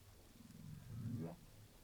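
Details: Humpback whale social sound recorded by a moored hydrophone off Saldanha Bay: a low, rumbling moan that sweeps sharply upward at the end.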